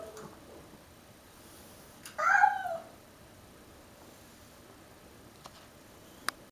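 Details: Domestic cat in a fight with a stray cat: one short harmonic wailing meow, about a second long, sliding downward, in a quiet indoor room, followed by faint clicks.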